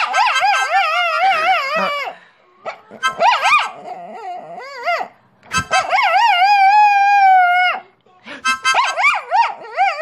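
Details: A dog howls in long, wavering, sung tones, singing along as its owner's father plays harmonica.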